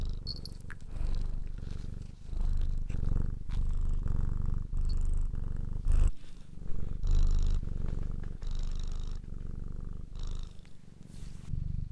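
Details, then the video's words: Continuous rumbling purr from a cat, pulsing in breath-length waves about every second, with brief gaps between inhale and exhale and occasional soft rustles and clicks. "Ralaxing Cat music for Calm Cats and Kitten [Cats Breathing]"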